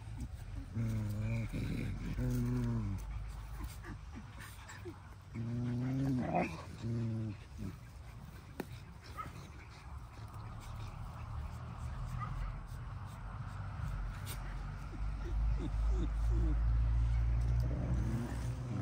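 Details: A dog whimpers in the evening, with bursts of high, wavering whines in quick repeated pulses around one and six seconds. Heavy low rumble and handling noise run throughout.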